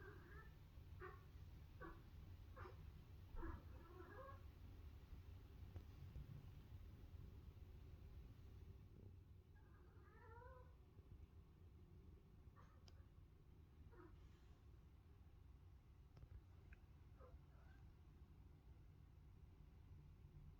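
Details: Cat making an odd chattering, talk-like noise with its mouth indoors in autumn; short warbling calls in clusters, some rising and falling, with a steady low hum underneath and a person's voice at times.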